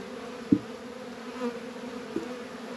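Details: Honey bees at work in a northern Kentucky apiary on a 72-degree February day, around Warre and Langstroth hives: a steady low droning hum with a fainter overtone, broken by two sharp knocks.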